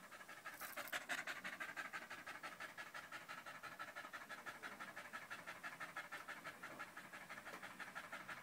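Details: Loud, rhythmic panting from the dog Danco, recorded on 05.08.2013 as he sticks to a person's leg; fast even breaths of roughly three per second continue throughout, with a brief louder rustle near the start.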